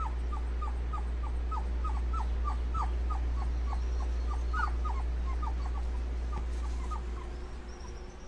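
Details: Faint, rapid whimpering from Dobermann puppies cooling off, short falling notes about three per second that fade out, under a strong low hum.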